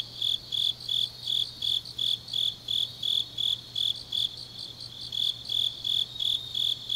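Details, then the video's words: Grass insects of Changnyeong, Gyeongnam, Korea, singing late on an autumn night: bright high-pitched chirps pulsing regularly about three times each second above a faint buzzing chorus. "깊은밤 가을 풀벌레 소리"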